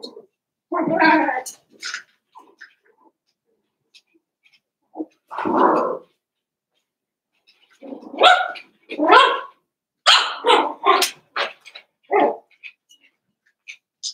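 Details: Cavalier King Charles Spaniel puppies, eight young dogs from two litters playing together, letting out short throaty barks and yips in scattered bursts separated by brief silences, with a quick flurry of yelps toward the end.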